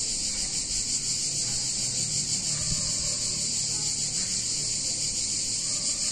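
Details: Steady high-pitched cicada chorus in a picturesque Italian town on a hot summer day, one continuous hissing drone without pauses, over a faint low background hum.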